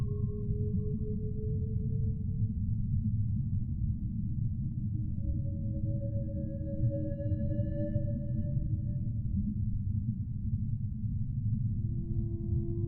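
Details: Humpback whale. A humpback whale sings in long, sustained moaning tones that waver slightly in pitch, some notes steady and others gently rising. A constant low underwater rumble fills the background beneath the calls.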